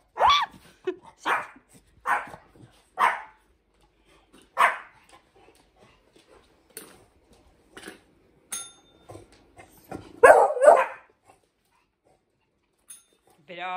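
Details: Indoor barking while Hendo, a 10-month-old Pomeranian, teaches Salto the beagle to ring a bell. A run of irregular, rapid barks and yips, a bright bell ring near the middle, then a louder burst of barking and a woman's praising voice at the end.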